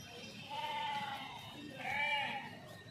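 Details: Village sheep grazing with shepherds while migrating; two wavering, nasal bleats, the second louder and higher, over a background of a man talking.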